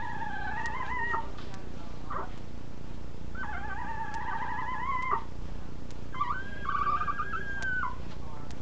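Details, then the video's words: Puppies whimpering in three long, wavering whines, each held for about a second or more with a slightly trembling pitch. There is a short squeak between the first two, over steady low background hum and occasional clicks. "Puppies Making Noise"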